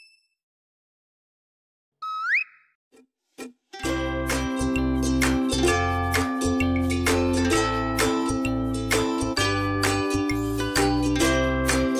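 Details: Plucked string music, ukulele-like, plays steadily after a brief rising electronic tone and a few soft pops; no animal voice is heard.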